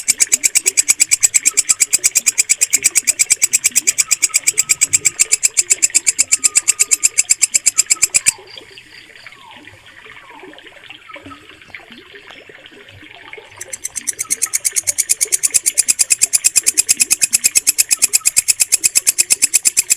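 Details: Walang kecek katydid recorded clearly as a mastering sound for training pet songbirds: loud, harsh, rasping chirps pulse steadily at about three per second, break off for roughly five seconds midway, then resume; faint twittering in the background.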